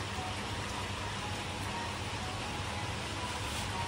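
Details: A steady, even hiss like falling rain fills the whole recording, and no animal sound can be heard.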